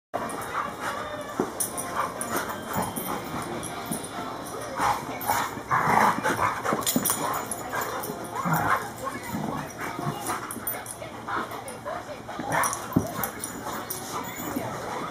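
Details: Two pet dogs, Champ the German Shorthaired Pointer and Kobe the Cane Corso, wrestling. Rough, noisy growls and huffs burst out through the whole scuffle, with louder bursts near the middle and scattered scraping thumps.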